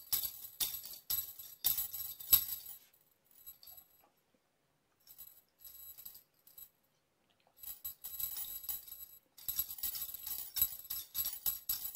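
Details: Bright jingling, bell-like rattles come in bursts, broken by a near-silent stretch in the middle.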